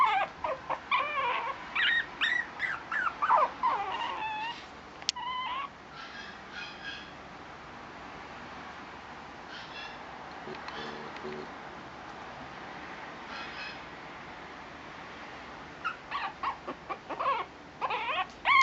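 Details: Male Shih Tzu puppy giving bursts of short, high whimpers at the start and again near the end, with a long quiet stretch of faint background hiss between.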